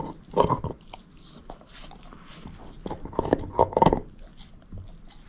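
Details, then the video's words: Moose, a female shepherd mix dog, gnawing on a bone indoors: two clusters of wet crunching chews, one early and one near the middle, with quiet pauses between. No talking. "SHEPHERD EATING BONE ASMR"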